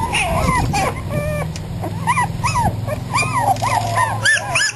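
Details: Young terrier and Australian Shepherd cross puppies, three and a half weeks old and outdoors for the first time, giving short, rising-then-falling whimpers and squeaks in quick bursts over a low background hum.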